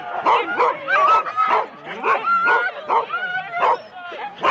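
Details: Several Husky teams of four dogs at a sled race start in Rendlesham in January 2016, many dogs barking and yipping together in rapid overlapping bursts, with some higher whining tones running between the barks.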